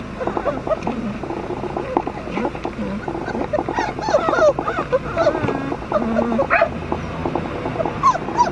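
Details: Flat-coated Retriever puppies, brother and sister littermates; a busy run of high, wavering whimpers and short yips overlapping one another, several animals calling at once, with some low voice-like murmuring beneath.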